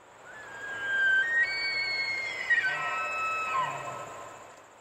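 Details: A bull elk bugles on a cold autumn morning in the Great Smoky Mountains: a long, high, whistled note that climbs, holds, then breaks rough near the end.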